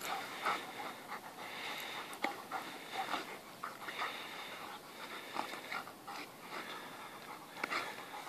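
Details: Panting from a white dog at play with another dog one morning: rough, breathy huffs with snorts and scuffles, some clicks and thumps.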